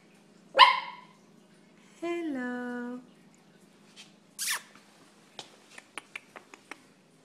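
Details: Maltese pup greeting his owner indoors: a sharp bark, then a drawn-out tonal howl-like call lasting about a second, a breathy noise, and a series of light clicks, with a low background hum.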